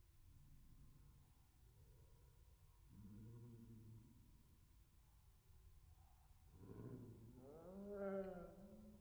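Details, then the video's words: Pet cat meowing, slowed down: deep, drawn-out, moaning meows, a short one early and then a longer pair that rise and bend in pitch near the end, all in a quiet room. "My cat meowing in slow Mo."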